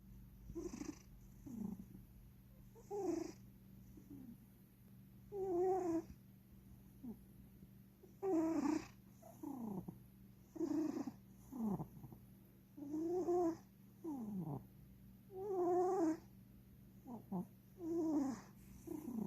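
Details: King Charles, a pet cat, sleeping on an owner's lap and snoring loudly: raspy breathy snores with a faint whistling tone, paired inhales and exhales recurring about every two to three seconds over a steady low indoor hum.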